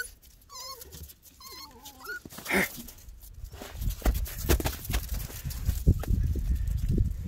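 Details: Eleven-week-old Miniature Pinscher puppies, recorded 21 February 2021, give a few high wavering whines in the first two seconds, then a burst of rustling and scuffling noise takes over.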